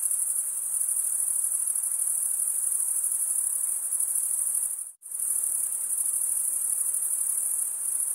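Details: Crickets stridulating in a constant shrill high trill that cuts out abruptly into near silence for a split second midway, then resumes at the same level, with a soft underlying hiss.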